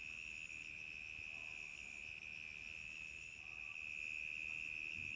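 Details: Crickets chirp on a summer night in a steady, high, unbroken trill that hums on without pause.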